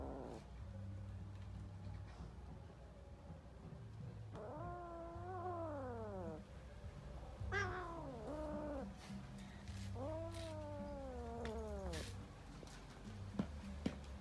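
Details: Kittens fighting while playing; several drawn-out, harmonic meows that fall in pitch, around 4.5, 8 and 10.5 seconds, over a steady low hum with scattered clicks and knocks.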